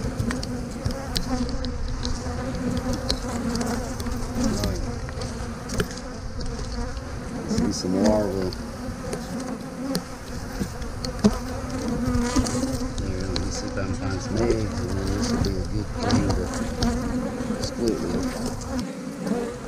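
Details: Honey bees humming continuously around hive frames being moved, as a beekeeper shifts a frame of young brood into a split; a thick, even drone with occasional clicks and bumps from the woodwork.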